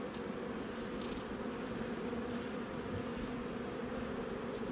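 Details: Honey bee colony in a nuc hive installed a little over a month earlier, recorded during a hive inspection on 8 July 2020: a steady, low droning hum with a fainter overtone above it, holding even throughout.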